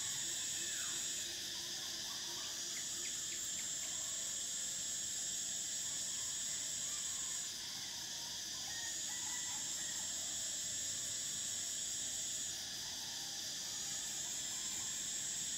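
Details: Cicadas in summer: a steady, piercing high-pitched drone that shifts in pitch every few seconds, with a fainter lower buzzing band beneath and faint scattered bird chirps in the background.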